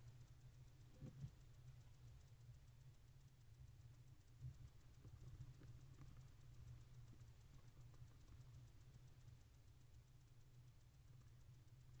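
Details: Only a steady low rumble with faint scattered clicks and rustles is heard, and no animal voice stands out.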